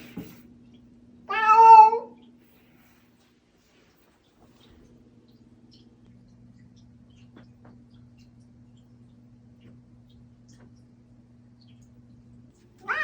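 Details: Bongji, a pet cat, waits by the door while worried about his owner who has left, then gives a single drawn-out harmonic meow. A low steady electrical hum continues through the quiet room, and a second meow begins at the very end.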